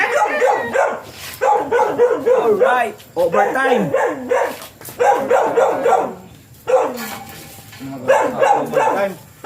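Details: During a Siberian Husky stud session with first-time sire and dam, the dog gives run-on whimpering yowls, pitch dipping and bending, in long strings broken by short quiet pauses.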